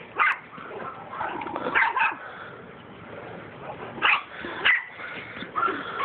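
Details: Mastiffs at rough play, wrestling with each other: scattered harsh growl bursts and sharp yips, with a quieter stretch of low grumbling in the middle.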